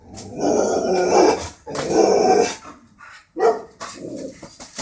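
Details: Border Collie that dislikes birds, voicing sustained raspy growl-barks, two long ones back to back followed by a brief yelp-like burst and a softer trailing grumble.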